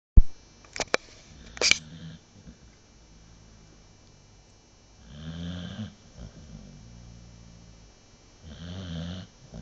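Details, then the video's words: American Bulldog in deep sleep indoors, a few sharp clicks early on, then two low rumbling snores about three and a half seconds apart, each a rough, buzzy breath lasting under a second. "American Bulldog snore"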